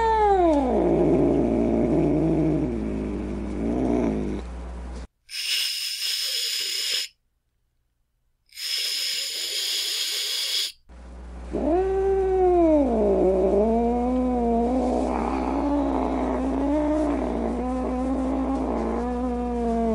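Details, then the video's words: Angry cat giving a low, wavering moaning growl, then two sharp, breathy hissing bursts, followed by a long drawn-out yowl that rises and falls in pitch. "Cat Angry Sounds | Cat Snarling, Cat Hissing, Cat Moaning | Angry Cat Sounds"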